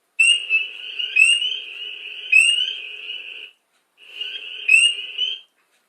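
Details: Spring peeper (Pseudacris crucifer) on Long Island: one individual gives loud, clear rising peeps about every second over the steady high-pitched buzz of hundreds of other peepers singing.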